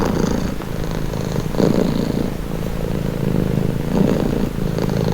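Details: Domestic cat purring steadily up close, a low continuous rumble pulsing with each breath, the phases swelling and easing over a few seconds; no other sounds intrude.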